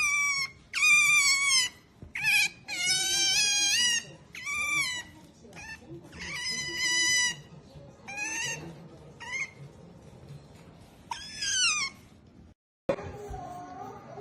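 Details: A female pet otter repeatedly gives high, whiny squeals and short chirping squeaks, some rising and falling, in uneven bursts. Faint human voices and household noise come in between calls and near the end.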